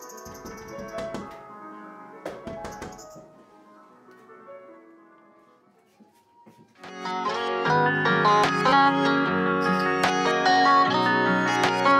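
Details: Gentle plucked guitar music plays, quieter at first and fuller after a brief pause. A few household knocks and thumps come through, and no animal can be heard.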